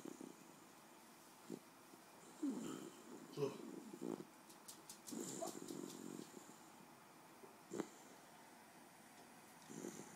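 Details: Sleeping pet Miniature Bull Terrier called King Joe snores in a series of short, low, gravelly rasps at irregular intervals, with a few sharp clicks and faint background sounds in between.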